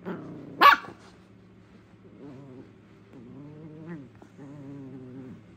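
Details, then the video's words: Three-month-old Jack Russell Terrier Junior, teething and tugging at socks, gives one sharp yap followed by a series of low, drawn-out growls in several separate bursts. "Jack russell 3 month old playing with shocks tug war"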